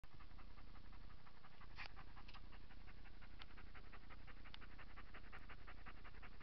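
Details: A pet dog pants after returning from a walk on 8 September 2017, lying flat in a frog-like pose. The breaths are quick, soft and even, about two per second, over a low steady background hum.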